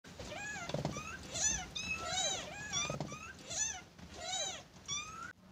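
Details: Kittens born to a mother cat rescued from the street, calling their mother to nurse and play; high, thin, arching mews repeat rapidly, overlapping at times, indoors with faint background hum.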